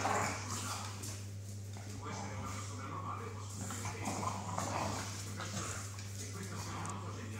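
Staffordshire Bull Terriers fighting, with rough growls, snarls and whimpers over human voices and a low hum.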